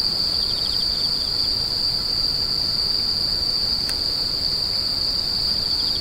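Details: Shrill, even insect drone without pause, joined by brief rapid chirp bursts at the start and close, plus one sudden tick partway through.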